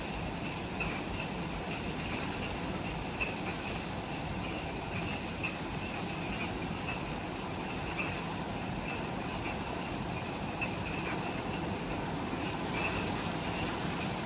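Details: Forest insects calling at dusk, just after sunset, by the Mount Omoto trailhead, Ishigaki Island, Okinawa, Japan: overlapping pulsed trills in short repeated phrases over a thin constant high hiss and low broadband rumble.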